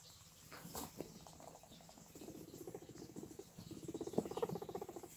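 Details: Guinea pigs making low, pulsing rumbles. Two vibrating bursts build up, one around the middle and a louder one near the end, each made of quick repeated pulses. Faint rustling comes before them.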